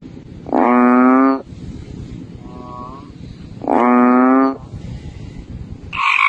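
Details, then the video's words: Frog calling: two long, loud, nasal, harmonic-rich croaks, each lasting about a second and spaced roughly three seconds apart, with a fainter short call between them and a brief higher note at the end. "Suara Katak"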